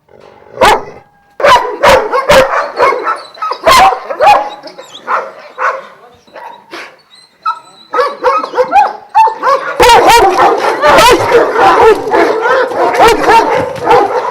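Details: Kennel of twelve Vujanski-line Šarplaninac dogs at Jasika near Kruševac: irregular, booming barks, sparse at first, then building into a dense, overlapping chorus of several dogs barking together.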